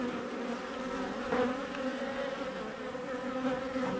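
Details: Honey bee colony exposed in a house wall cutout, home built in 1850; unbroken, steady droning buzz with clear harmonic layers, a faint tap midway.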